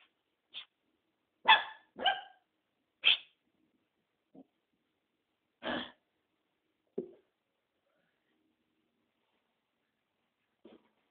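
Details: Tom, a newly adopted mixed-breed dog, barking indoors in a small room: a string of sharp, broad barks, several close together then spaced out, with a few softer lower yelps between them.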